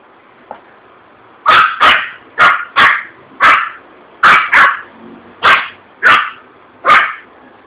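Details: Yorkshire Terrier, scared by a bursting balloon at a shopping street in Vitória da Conquista, Brazil, gives a run of about eleven sharp yappy barks, often in pairs, steadily through the recording.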